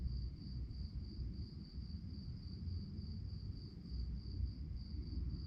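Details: Chirping crickets after dark: a high, regular string of short pulses running throughout, set against a loud, steady low rumble.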